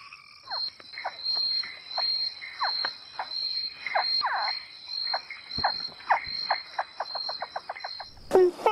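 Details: A male frog keeps calling through the night despite the risk. It gives a long series of short, downward-sweeping chirps, about two every second, over a steady high insect whine.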